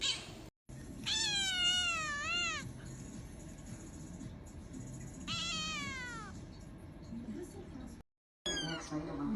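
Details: Two long, loud kitten meows, each starting high, wavering, then bending down at the end, separated by a few seconds of quiet room noise, with a third meow beginning at the close.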